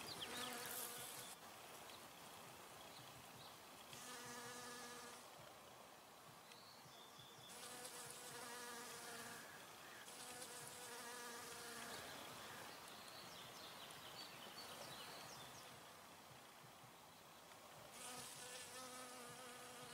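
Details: Honey bee foraging at flowers, its buzzing hum rising and fading in repeated passes every few seconds, each burst a low droning tone with harmonics, between quieter stretches of steady background hiss.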